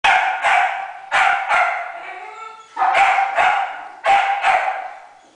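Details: A dog singing to another dog at a dog daycare on November 3, 2009; loud harmonic yowling bursts, several rising howl-like notes in clusters with short breaks between.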